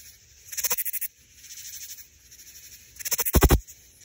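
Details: A male Central Texas leaf katydid stridulates, rubbing its wings to attract females, giving two short bursts of dry, rapid, raspy pulses.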